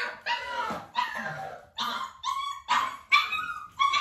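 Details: Nearly six-week-old Dalmatian puppies during a clicker training session, with their mother Arya nearby, give a run of short, high, harmonic yips and whiny barks, each under half a second, coming in quick uneven bursts.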